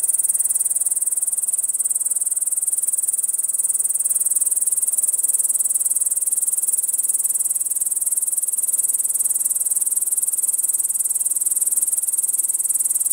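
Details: Long-winged bush cricket, a species preferring lowland grassland, singing from atop tall grass to make its sound stand out; a continuous, steady, very high-pitched buzzing trill runs unbroken throughout, with no other clear sounds.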